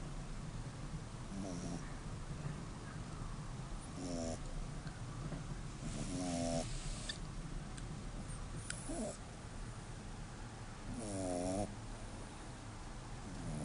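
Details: Five-month-old dog asleep, snoring in a recording made on a phone: rhythmic rasping snores roughly every two to three seconds, some with a fluttering, vibrating edge, over a steady low hum.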